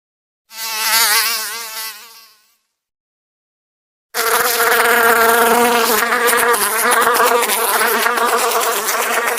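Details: Fly buzzing: a short wavering drone, then a pause of about two seconds, then a louder, denser buzz that swells and wavers continuously to the end.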